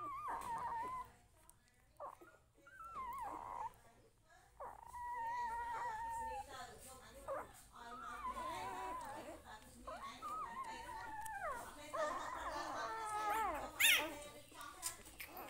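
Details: Young puppy at home with its family, drawn-out whimpers and moaning whines over several seconds, mixed with people talking nearby and a sharp clatter near the end.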